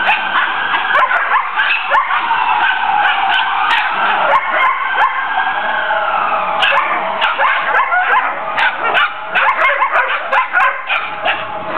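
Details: Backyard play among collies: Tesla and Braedyn wrestle while Tennyson talks and the puppies chime in. A continuous jumble of whines, yips and barks runs throughout, with one long, drawn-out whine gliding downward in the middle.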